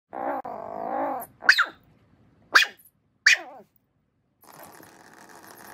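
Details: Miniature Schnauzer playing eagerly with a toy mouse, giving three sharp, high yelps that sweep downward about a second apart, after a steady humming noise and before quiet background hiss.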